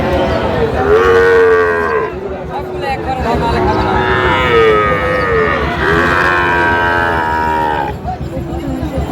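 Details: Sahiwal bull calves bought by a Kushtia farmer at a cattle market bellow in repeated drawn-out moos, three strong calls spaced a few seconds apart over steady market chatter.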